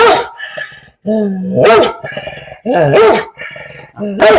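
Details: An angry dog, about eleven years old, gives loud, harsh barks in uneven bursts roughly once a second, with a person talking steadily to it in Malayalam between and over the barks.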